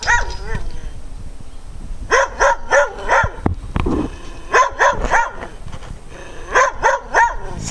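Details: Several dogs barking loudly in bursts of rapid, harmonic barks, with pauses between volleys and a person talking in the background.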